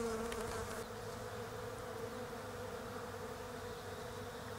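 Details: European honey bees foraging on the flowers of a bare-branched Desert Ash tree in autumn down under; a soft, steady buzzing hum drones continuously under faint outdoor background noise, slightly fuller in the first second.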